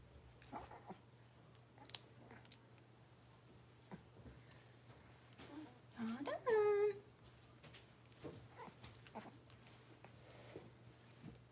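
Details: Six-week-old blenheim Cavalier King Charles Spaniel puppies, a litter of five, in an indoor puppy pen. A single loud, rising whine with clear harmonics near the middle, surrounded by faint rustling and soft background speech and a steady low hum.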